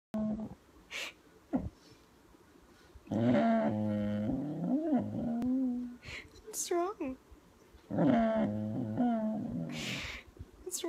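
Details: Female kelpie at home, cranky and wanting to go to bed, making Chewbacca-like drawn-out groaning moans with wavering harmonic tones in two bouts, interspersed with a woman talking softly to her.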